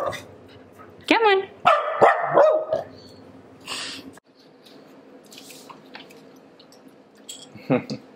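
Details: Pet female Pembroke Welsh Corgi voicing disapproval after a spoken command to stay: a wavering, whiny grumble breaking into short yelping barks over about two seconds, then quiet with a final brief yip.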